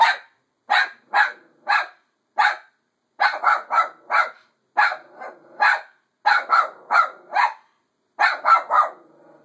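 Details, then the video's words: Female dog barking at herself, a steady run of sharp barks, mostly paired or in threes, repeated almost continuously with brief pauses, a few softer whines between bursts. "What is she barking at?"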